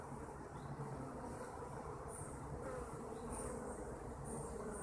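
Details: Kept honeybees humming in a thick, even low buzz, joined by brief high whistled chirps from time to time over the steady drone.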